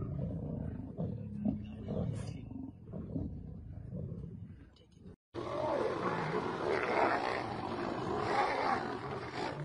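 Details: A female lion attacking and biting a male: low rumbling growls and grunts in uneven bursts, followed after a sudden cut by harsher, noisier snarling over a broad hiss.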